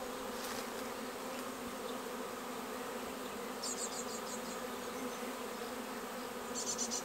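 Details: Honeybees swarming into a bait hive on 19 May, the whole capture over in about 30 minutes. A clean, continuous droning hum with layered pitches, and small bird chirps sounding near four and seven seconds.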